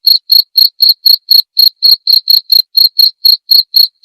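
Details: Cricket (jangkrik) sound made as masteran training audio for songbirds and as therapy. Clean, high chirps repeat steadily about four times per second, each a short pulsed burst. No other sounds are present.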